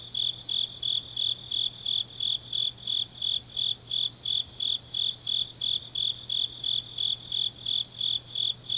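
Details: Deep-night autumn grass insects near Changnyeong, South Gyeongsang, chirping in a bright, high, evenly spaced series, about three pulses a second, over a faint continuous higher trill and a low steady hum.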